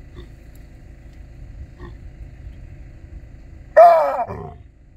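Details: Large male baboon in Kruger asserting dominance over other baboons, chasing them: after a stretch of low rumbling background, one sudden loud, harsh, harmonic bark bursts out near the end and fades over half a second.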